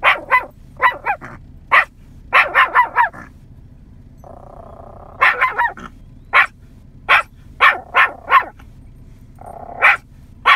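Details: Yorkshire Terrier pup of nine months barking to draw cows in a field toward it; loud, rapid, high barks in quick runs, broken by a pause with a drawn-out tonal sound, then more barking bursts.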